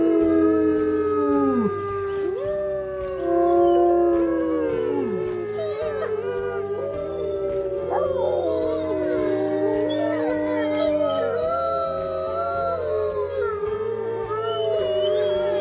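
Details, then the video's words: Extended wolf chorus with many voices. Long level howls end in falling slides, and higher wavering yips and swoops weave through. Rhythmic background music runs throughout. "Wolf howling _ Wolf howling at moon"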